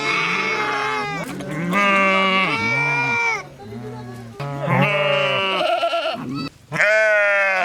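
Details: Sheep giving a series of loud, tremulous bleats, each lasting one to two seconds with wavering pitch, separated by short pauses, ending in a strong sustained baa.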